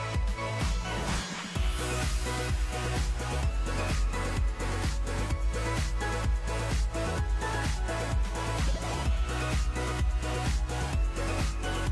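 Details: Loud electronic dance music with a steady thumping beat plays throughout, with no animal sound.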